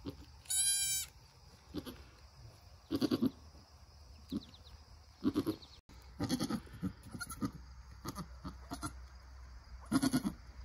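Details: A newborn Nigerian Dwarf doeling with its mother, who keeps encouraging it toward standing and nursing: a sharp, high harmonic bleat at the start, then repeated low, throaty grunting calls in bursts.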